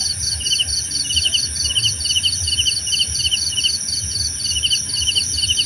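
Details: Pulsed cricket chirps repeat roughly twice a second over a denser, higher trilling and an unbroken shrill tone, a layered insect chorus with a quiet low rumble behind it.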